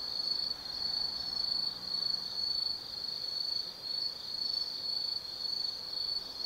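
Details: Insects of the Tsukimi Forest, Gifu Prefecture, Japan, on an autumn night: a piercing sustained trill pulsing in loudness roughly twice a second, with bursts of rapid chirps riding over it and a quiet background.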